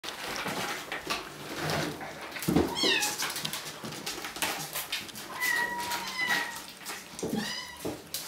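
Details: Bengal kittens at Wildrose Bengals cattery, from three litters: two nearly 8 weeks old and eleven 5 weeks old. High, harmonic meows come in several bursts, one held steady and flat, another sliding downward, over indoor shuffling noise.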